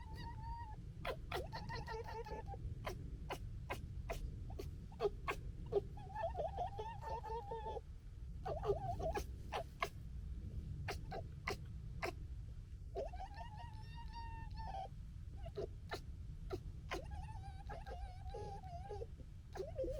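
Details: Red foxes from the 2021 litter fighting and gekkering: stuttering, nasal, harmonic chatters about a second long alternate with sharp clicks, over a constant low background hum.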